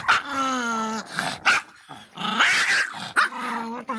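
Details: Faísca the Miniature Pinscher, an angry small dog, letting out a long steady whine followed by clipped yelps and a strained rising howl-bark, then another whine.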